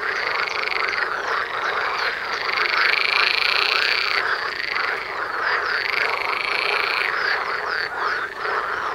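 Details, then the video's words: Dense frog chorus in front of a house door, calls of several frogs overlapping into a continuous croaking din with pulsed, rattling notes rising and falling in waves. "Froschkonzert vor der Haustüre"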